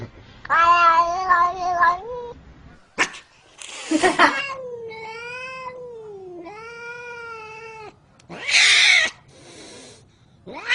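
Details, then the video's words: Domestic cat making unusual, funny sounds: drawn-out meows with a wavering, undulating pitch, broken by sharp clicks and bursts of noise, with a short break in the middle and a final drawn-out cry. "Unbelievably and funny sounds made by Cats."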